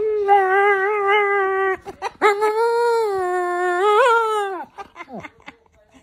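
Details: Dog howling in long, steady drawn-out tones, first a level held note for nearly two seconds, then a brief break and a second longer note that swells and wavers before fading, followed by a few soft whimpers.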